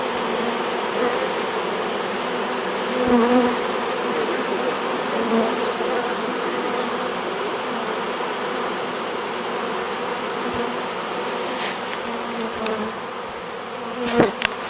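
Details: Many honey bees of a swarm working at a hive as it is being hived: a continuous dense droning hum holds steady throughout, with occasional louder passes by single bees and a few sharp knocks near the end.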